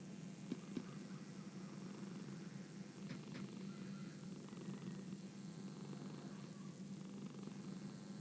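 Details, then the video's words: Domestic cat purring softly and steadily, a low continuous rumble with a faint regular throb, with a few sharp clicks near the start and around three seconds in. "The sound of a cat purring"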